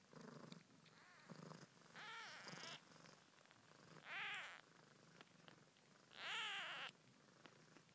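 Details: One-day-old Siamese kittens in York, UK, born 20 February 2010: five loud, piercing arched mews, each about half a second long, stand out against a quiet, steady low background hum indoors.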